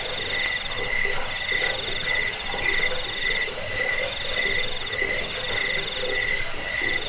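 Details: Cricket chorus meant to scare rats, soothe sleep and tutor birds: shrill, rapidly pulsed chirps at several overlapping pitches, swelling in regular bursts a little faster than twice per second.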